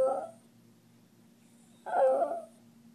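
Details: Poppy, a 10-year-old male Miniature Schnauzer, howling indoors in a small room: two short, moaning, wailing tones with a harmonic ring, the first at the very start and the second nearly two seconds later, with quiet room hum between them.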